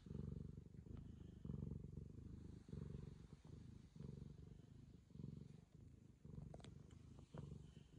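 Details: Purring Ragamuffin cat licking a young girl in affection: deep, throbbing purr in rhythmic bursts, with short pauses between breaths and a few soft clicks and rustles near the end.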